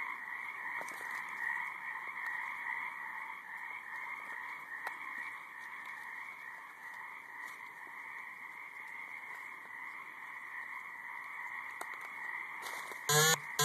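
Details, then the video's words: Massed frog chorus from a high marsh, an unbroken wall of overlapping pulsing croaks holding steady throughout, with a faint buzzing hum and a brief loud handling noise right at the end. "High Marsh Frogs"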